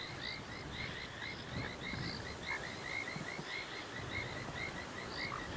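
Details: At sunset under rain clouds in the Sabi Sands, a dam chorus of painted reed frogs gives short, high, whistled chirps in quick overlapping succession, with an olive toad croaking and bubbling kassinas in the background.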